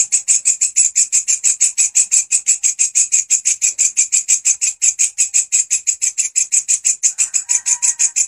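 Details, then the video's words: Grasshopper song as a master recording for songbird training: a sustained, fast, even rhythm of sharp high-pitched buzzy pulses, with a faint thin tone entering near the end. "Belalang gacor volume pedas !! walang kecek si masteran burung kicauan"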